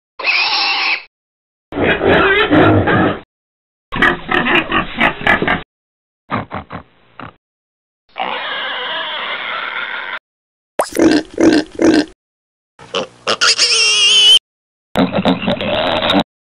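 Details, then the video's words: Pigs on a farm: a string of short spliced bursts of harsh grunting and shrill squealing, some low and rasping, others high and piercing, separated by brief silences. "O SOM DOS PORCOS é inconfundível!"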